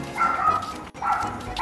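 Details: Samoyed whimpering after being hissed at by a new cat neighbour on first meeting; two drawn-out whiny tones, each about half a second, with a brief break between them.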